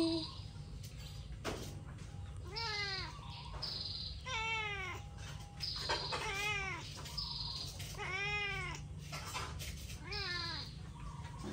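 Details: Hungry cats meowing insistently, about seven arched, rising-then-falling meows spaced roughly a second apart, each rich and nasal, against a constant low hum.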